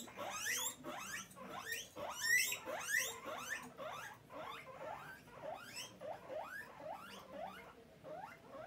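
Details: Hungry pet guinea pig calling for food with a steady run of upward-sliding squeaky whistles, roughly one or two each second, loudest at the start and easing off later.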